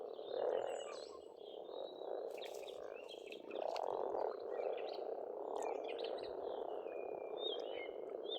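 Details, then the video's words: Frogs calling in spring at a pond in Estonia: a dense, continuous croaking chorus in a low-mid band, swelling and easing, with thin whistled birdsong above and brief clicks. "Расслабляющее пение птиц и лягушек, весна, природа."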